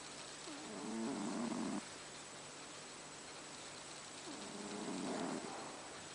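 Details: Asleep in the dark, the cat Haru gives two rough, rattling snores about three seconds apart, each a second long with a grainy buzzing texture, against faint steady hiss.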